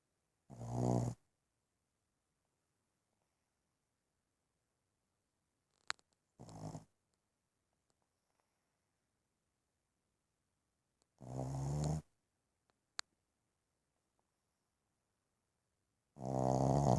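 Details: A sleeping one-year-old Boston Terrier snores in low, rattling, throaty breaths, each under a second long, at uneven gaps of about five seconds, with near silence and faint clicks between them.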